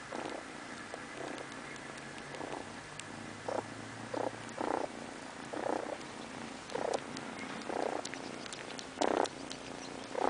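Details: Sleepy house cat purring contentedly, a continuous vibrating rumble punctuated by regular breathy surges roughly once a second that grow louder toward the end.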